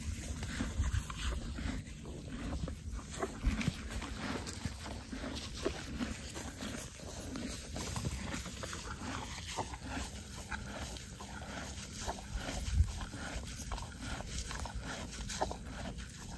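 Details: Horses munching hay on a ranch near Vernon, British Columbia, Canada; soft breathy snorts and whuffles stand out near 1, 3.5 and 13 seconds over a steady bed of low, crunching chewing noises.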